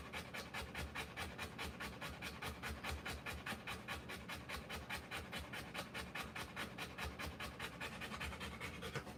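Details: Rottweiler panting while giving birth to puppies: rapid, steady breathy pants at about two and a half per second, each a broad hissy burst, continuing evenly throughout with no other clear sounds.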